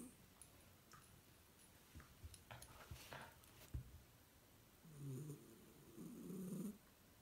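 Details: A female Shiba Inu, lying relaxed in an odd pose with her eyes open, gives two deep, rasping snores after soft clicks and shuffling; the snores are low and throaty, swelling and fading with the breath.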